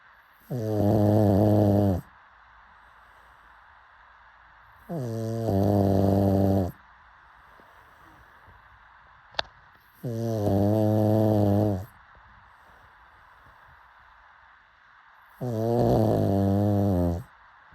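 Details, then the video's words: A sleeping pug snores in four long, droning, buzzy breaths of about one and a half seconds each, spaced roughly four to five seconds apart, with quiet pauses between them. "Pug Snoring"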